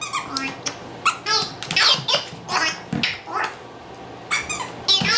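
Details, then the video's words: Lyle the dog barks indoors while playing with his new Wobble Wag Giggle ball and stuffed rabbit. Sharp, high, harmonic barks come in quick irregular bursts, about ten across five seconds, mixed with squeaky toy giggles. "Lyle and his talking ball 2 (VOLUME WARNING---BARKING)"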